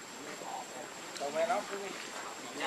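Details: Baby monkey Lucie, hungry and begging for milk, gives a soft early whimper then a sharp, wavering squealing cry midway, followed by quieter broken whines against a steady faint high hiss.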